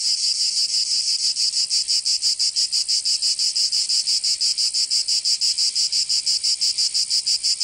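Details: Provence cicadas, southern France, singing in summer with a strident, metallic high buzz chopped into fast, very regular throbs near three per second, continuing unbroken across the whole stretch.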